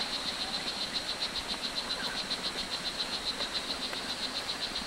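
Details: Strawberry dart frog (O. pumilio) in Costa Rica's Hitoy Cerere Biological Reserve giving about eighteen brief, high, insect-like chirps in five seconds, evenly spaced and unbroken, against a soft hissing rainforest backdrop.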